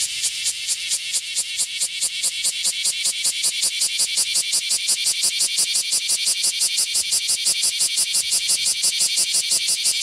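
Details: A male bear cicada in Nishiki Civic Forest, Kaizuka, on 27 July 2015 sings a loud, harsh buzzing song, pulsing rapidly about five or six times a second; it sings even while moving, working only its abdomen.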